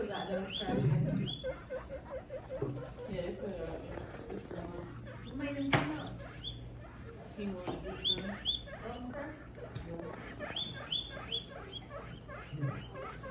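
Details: Guinea pig. Guinea pigs squeal in sharp, piercing squeaks that rise and break off, coming in short runs and clusters. People talk in the background, and there is some low rustling.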